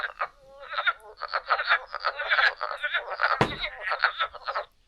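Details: Wood frog (Lithobates sylvaticus) chorus of rapid, clucking, duck-like croaks in quick bursts; one of the first frogs calling in spring, heard from the beginning of March at Middle Creek.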